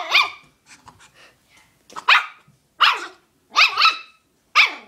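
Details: Puppy barking at his chew toy, sharp high barks about once a second after a short yelp, while a person says it is his toy.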